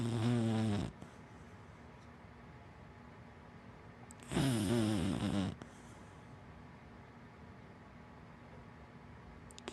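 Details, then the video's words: Black dachshund–Labrador mix dog snoring while asleep: two low, rattling snores about four seconds apart, each lasting around a second, with soft breathing between. "Hana the big black wienerdog Snoring"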